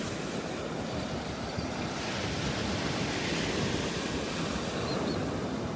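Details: Steady roar of surf breaking on a beach with wind buffeting the microphone, and no animal calls.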